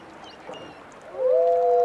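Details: Wolf howls in a brief chorus: two voices rise together and then hold long, steady, overlapping tones at slightly different pitches. Softer background hiss comes before them.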